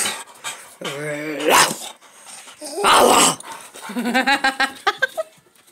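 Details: Playful Dogo Argentino indoors making a drawn-out moaning whine, then a harsh grumble and a string of short wavering yips that fade out, in a small room.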